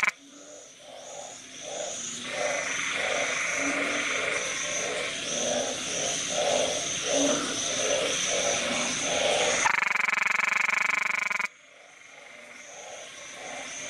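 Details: Small but loud narrow-mouthed frog, filmed at close range with a Nikon camera while puffing itself up. Low, rounded croaks come about four per second, over a steady high insect-like buzz. A harsh broadband burst near the end interrupts the calling.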